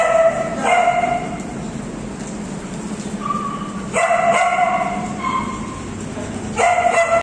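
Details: Female Alaskan Malamute with her friends: bursts of tonal yelping woo calls separated by pauses, with a couple of brief higher whines in between and a low background hum.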